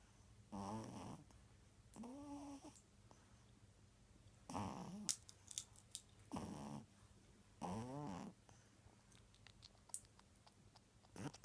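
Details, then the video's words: A pug named Justina snoring: rasping, buzzy snores with stacked harmonic bands, about six snorts in eleven seconds, spaced one to two seconds apart, with soft background hiss between them. "Мопс храпит"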